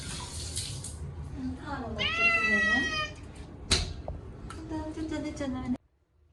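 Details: During his first bath in a year, Munchkin cat Chacha lets out a single loud, stretched meow, heard amid running water and a person's voice talking, with splashing toward the end.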